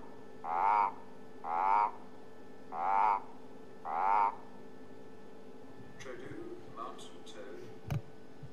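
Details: Reference advertisement call of the eastern olive toad (Sclerophrys garmani), played while identifying a toad at Djuma Game Reserve, South Africa: four harsh, pulsed croaks about a second apart.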